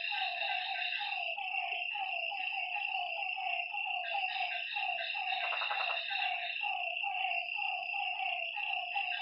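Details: Frogs calling at night by a lakeside: a dense chorus of short, slightly falling croaks repeated rapidly by many overlapping callers, over a steady high shrill insect trill; a brief buzzy burst near the middle.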